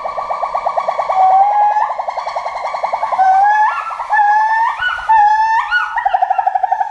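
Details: Forest monkey voice, loud and tonal: a pulsing, vibrating drone overlaid by long whistled notes that climb stepwise in pitch, each swelling then breaking off, repeated about once a second against a quiet background.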